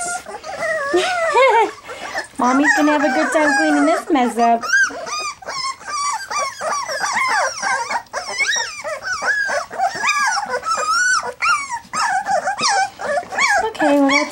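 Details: Litter of three-week-old black English Labrador Retriever puppies at their first goat's milk feeding, a continuous chorus of overlapping high whines, yelps and wavering squeals from several pups, with a woman's voice briefly heard.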